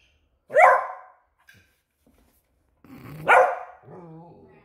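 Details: Alert Beagle indoors barking at a new squeaky toy: one loud harsh bark, a quiet gap, then a second forceful bark that trails off into a short wavering whine.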